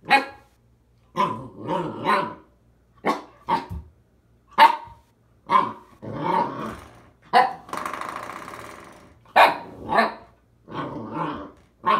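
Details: An Alaskan Malamute puppy gives short, throaty barks and rumbling growls in quick bursts after finding a new toy.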